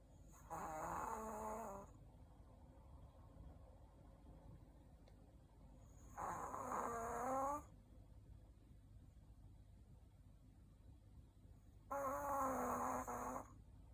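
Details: Shih Tzu named Ku-chan snoring while asleep after a meal, indoors; three loud rasping snores about six seconds apart, each lasting roughly one and a half seconds with a harsh buzzy tone, quiet breathing between.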